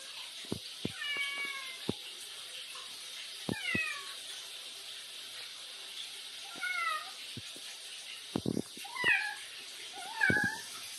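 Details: Chatty cat Bin, a street cat, trading remarks with its owner; a string of short chirping meows, some rising then falling, scattered over the stretch with clicks and faint room noise between them.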